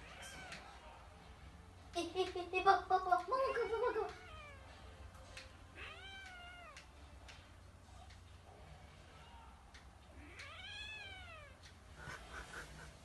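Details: Kitten pestering a sleeping cat to get back at it, indoors. A burst of rapid squeaky cries comes around two to four seconds, then two clear arching meows at about six and eleven seconds, with a person speaking Japanese softly and a low background hum.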